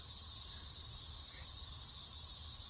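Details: Periodical cicadas at a park overlooking a lake in North Carolina in 2024 call together in a steady, high, droning buzz without a break.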